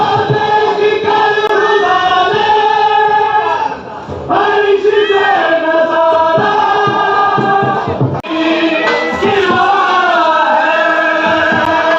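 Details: A choir sings with sustained harmonised male voices over music, with short breaks, and no animal calls heard.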